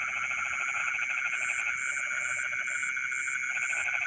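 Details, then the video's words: Night chorus of frogs in rice fields: a continuous rattling, pulsed croak fades after two seconds and resumes near the end, layered over constant high insect buzzing. "the sound of frogs singing in the rice fields in the middle of the night"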